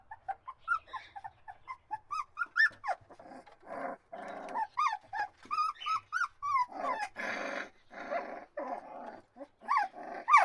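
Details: Several puppies whimper and cry together in a continuous chorus of short rising-and-falling squeals, mixed with harsher, noisier grumbling bursts, with barely any pause throughout.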